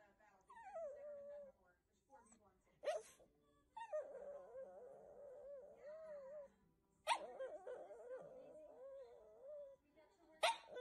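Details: Shih Tzu puppies give drawn-out, wavering whines that slide up and down. Three sharp, short yelps cut in near the start, middle and end of the whining.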